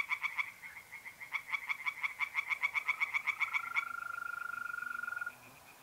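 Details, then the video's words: Pond tree frogs by night in mid-April, North-East Italy, calling in quick bursts of sharp pulsed notes that then stop, leaving a mole cricket's smooth steady trill running alone. "singing tree frogs in pond"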